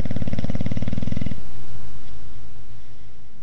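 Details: Boxer dog snoring, said to snore both asleep and awake: a loud, low, rattling snore with a steady harmonic buzz for about 1.3 seconds, then fading to near quiet breathing.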